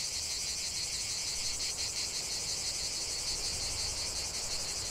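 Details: Cicadas in full chorus outdoors: an unbroken, shrill, buzzing drone with fine rapid pulsation, steady volume, and only faint low background rumble beneath.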